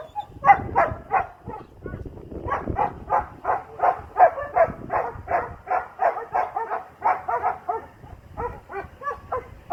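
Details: Asmar, a young Doberman at heel with a 14-year-old handler, barks in a long, fairly regular run of short sharp barks, close to three each second, pausing briefly near the start.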